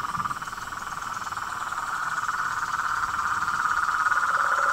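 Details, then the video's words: At nightfall, a pond in front of a house holds a dense chorus of toads, frogs and treefrogs: many overlapping, rapidly pulsed trilling calls merging into a steady mid-pitched drone. "SONS DA NATUREZA - A SINFONIA DOS SAPOS, RÃS E PERERECAS"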